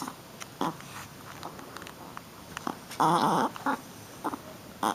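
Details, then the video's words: Shih Tzu puppy, a female, playing rough indoors: brief gruff yaps and one drawn-out harmonic growl-whine mid-clip, then more short yips. "Baby Shi-Tzu Playing and Making Cute Sounds"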